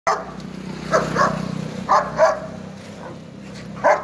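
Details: Rottweiler and German Shepherd, two dogs fighting; short harsh barks and growling bursts come in irregular clusters, about five loud outbursts in four seconds over a low steady background hum.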